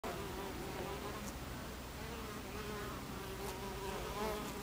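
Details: Honey bees at a hive entrance, recorded 26 July 2013 at 14:55: a steady, dense buzzing of many wings with overlapping wavering hums rising and falling in pitch throughout.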